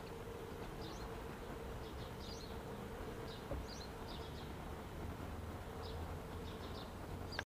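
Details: Honey bees at an observation hive entrance, unusually grouping outside after many emptied out of the hive on a cool 50-degree day with no sun; a steady low droning hum with scattered faint high ticks.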